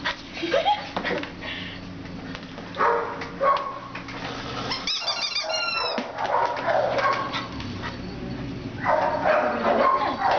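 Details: Terrier named Houdini, available for adoption, barking in short, irregular bursts of roughly a hundred per minute, with whimpering yips and a few high squeaky calls in the middle, over steady indoor background noise.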